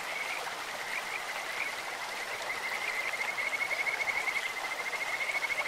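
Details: Kajika frogs calling in a clear stream, their voice likened to a bird or insect: a sustained high trill at steady pitch, pulsing faster and louder toward the end, with rushing stream water throughout.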